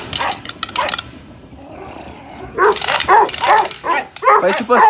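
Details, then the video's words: Five-month-old Presa Canario during an agitation test in Odesa, giving short barks and yips that fall silent midway, then resume as louder rapid barking toward the end. "Presa/Dogo Canario Agitation test"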